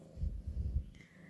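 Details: Mandu, a cat that keeps asking to be petted, gives a soft, low rumbling purr in a few pulsing bursts over under a second, followed by a steady faint tone, likely background music, indoors.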